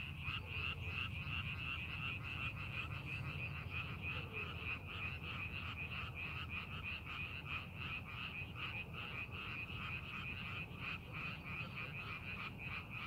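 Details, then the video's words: Rice paddy frogs during farming preparation, a continuous chorus of quick, repeated croaking pulses, about three each second, over constant low-pitched background noise. "논에서 개구리 울음소리"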